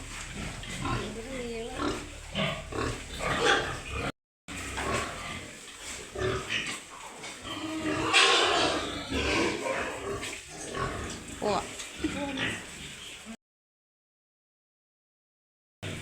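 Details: Pigs and piglets on a Wayanad pig farm, some running off in fright as visitors come near, with rain on the way: rough grunts and squeals mixed with people talking, clattering and farm noise.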